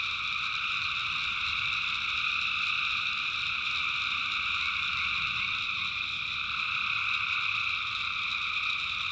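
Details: A dense, steady night chorus of tree frogs in North Carolina backwoods swamp, a continuous high trilling drone.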